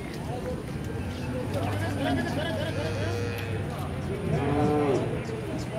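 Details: Holstein Friesian cow at the Chowbaria cattle market in 2018, giving a long, low, steady moo of about three seconds, with people talking in Bengali and general market bustle throughout.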